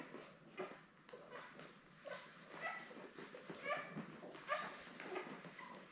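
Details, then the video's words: Newborn Labrador Retriever litter of seven, born May 24 2021, with mother Belle on a puppy cam; thin rising squeaks and whines, some with clear tonal harmonics, come irregularly about once a second over soft background hiss. "Lab Puppies LIVE STREAM Puppy Cam"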